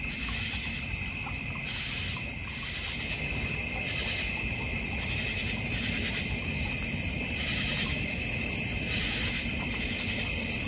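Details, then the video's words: North Georgia Mountains backyard crickets by a goldfish and koi pond, a dense layered high trill pulsing in waves, with occasional brighter bursts of quick chirps scattered through the recording. "North Georgia Mountain Cricket Sounds"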